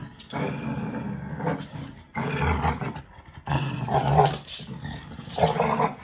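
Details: Playful growling from a five-month-old American Bully puppy tussling over a toy with a five-year-old AmStaff that lets it win; four harsh, rumbling growl bursts of uneven length, with the deepest rumble in the second burst.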